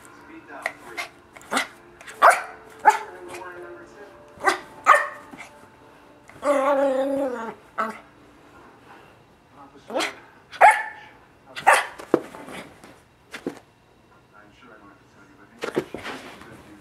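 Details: Yorkshire Terrier puppy, a pet running around indoors at 1am, giving short sharp yips and barks scattered through, with a longer whiny harmonic yelp in the middle; a person talks at times.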